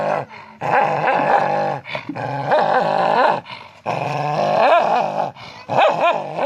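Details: Dog, possibly a Chihuahua, in a funny pet compilation, giving long wavering growl-whines with rich harmonics, in drawn-out bursts of one to two seconds separated by brief pauses.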